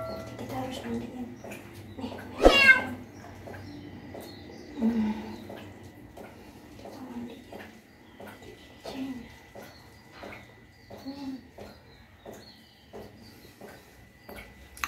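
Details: Street cat being bathed for the first time, washed gently by its carer: one loud, wavering meow early on, followed by long stretches of faint, scattered soft sounds and quiet handling noise.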